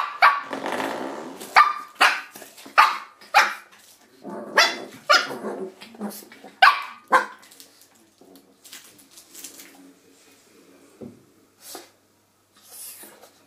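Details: Shih Tzu puppy indoors attacking a door stop, giving sharp high yappy barks about one per second for seven seconds, then quieter scattered yips and rustling, with a person's voice just before.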